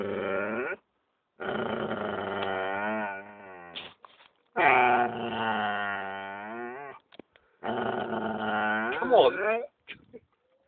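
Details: A female Alaskan Malamute guards a new bone she was just given with drawn-out, moaning growls that swell and waver in bursts of two to three seconds; owner thinks she wanted it to herself. A person briefly calls between them.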